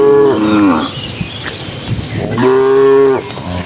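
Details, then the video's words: Cattle herded into the pen at evening by a herdsman, dozens of animals; two loud, rich harmonic moos, the first falling and breaking off, the second long and steady, separated by quieter lowing and shuffling. "Suara puluhan sapi saat memasuki kandang"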